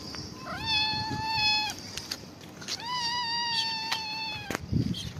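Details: Homeless cat enjoying a head massage utters two long, tonal meows. The first rises briefly and then holds steady for about a second. The second is longer and level. Scattered clicks and rustling come from handling.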